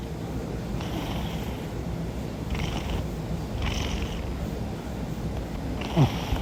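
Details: A cat caught snoring in its sleep by accident: breathy, hissing rasps recur roughly every second and a half above a continuous low rumble, with a sharp knock near the end.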